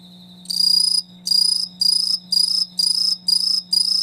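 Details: Insect calling in loud, high buzzy trills, seven pulses each about half a second long, repeated roughly every half second, with a faint steady low hum beneath.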